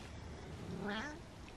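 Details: Male pet cat, about to start thyroid medicine, giving a happy meow indoors: a short, softer rising-then-falling meow, partly muffled, with faint room noise and a person speaking nearby.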